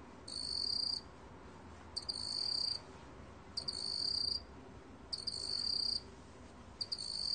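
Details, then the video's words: High-pitched ringing trills from a black cricket, recorded 2020, five phrases of under a second each, a couple beginning with short stuttering pulses, separated by steady quiet gaps. "먹귀뚜라미, 여러번 듣기, 곤충소리"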